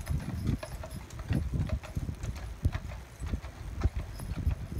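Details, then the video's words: A pair of Clydesdale horses driven in harness by their owner, visiting from Scotland; heavy, dull hoof thuds clop in a loose, continuous rhythm, deep and muffled, with faint harness rattle above. "Cyril and Monty the Clydesdales with their owner on the reins"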